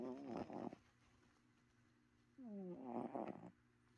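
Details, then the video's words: Domestic cat snoring in its sleep: a loud raspy, fluttering snore, then a quiet gap, then a second snore that starts as a smooth tone and turns rough and buzzy, with a low hum underneath. "My cat was snoring"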